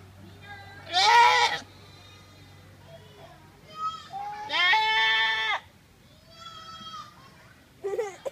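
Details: Goat crying with sudden, very loud, startling human-like calls; several wavering nasal bleats of varying length, the longest near the middle lasting about a second, with faint voices and a low background hum.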